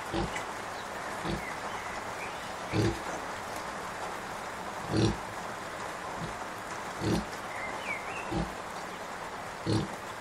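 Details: Deep grunts about every second or two from Kunekune sow Bella beside her five-day-old piglets, some louder than others, with a faint rising chirp and steady hiss behind.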